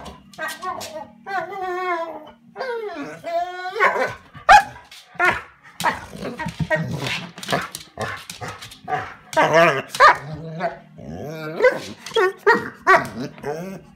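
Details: Bernese Mountain Dog indoors at a cabin, left inside while another dog goes for a walk and wanting to join. Wavering, whiny, yodel-like vocal runs rise and fall in pitch, in uneven bursts, with a steady low hum underneath.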